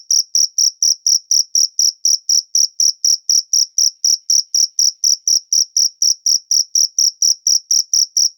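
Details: Cricket in nature giving a loud, high, ringing chirp repeated steadily about four times a second, each pulse sharp and even, with no other sounds.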